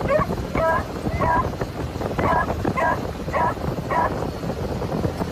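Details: Beagles, three of them, bark excitedly from a customised moped sidecar travelling about 40mph in Phetchabun, Thailand; quick high yips repeat roughly twice a second against loud road and wind noise.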